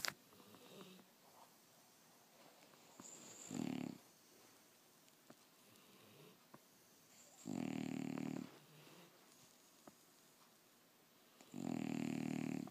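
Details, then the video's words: Sleeping English Bulldog snoring indoors: loud rasping snores about every four seconds, each a roughly one-second broad rumbling burst, with quiet breathing between. "My English Bulldog Snoring"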